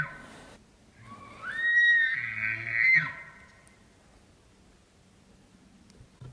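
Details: Bull elk during the rut: a single bugle that slides up into a high, sustained whistled squeal lasting about a second and a half, over low grunting tones, then fading to quiet background.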